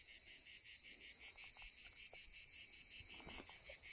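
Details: Cicadas sing a steady, shrill, high buzz that pulses slightly, with faint handling clicks underneath, in summer after heavy rain, while a camera trap is checked at a wolf crossing point in Turkey.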